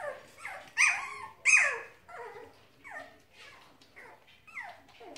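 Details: Four-week-old Cavalier King Charles Spaniel puppies from one litter give high, squeaky whines and yelps in quick, uneven succession.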